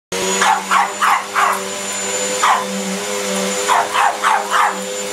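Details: Pug barking at a running vacuum cleaner it is scared of while trying to act tough, a burst of four quick sharp yaps, a pause with one bark, then four more, over a steady loud vacuum drone.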